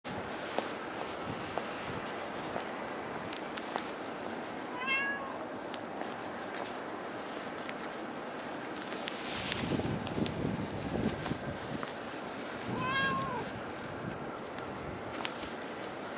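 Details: A cat outdoors at Dockyard Garden, recorded on 11 December 2016: two short meows about eight seconds apart, each a brief bent tone with stacked harmonics, over steady urban background hum and a burst of broadband noise between them.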